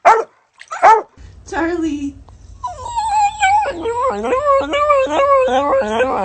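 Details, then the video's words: Funny dog sounds: a few short high yelps, then a run of quick whining yips with wavering pitch, repeated roughly every second over the last few seconds, with faint low background hum. "Funny dogs sound"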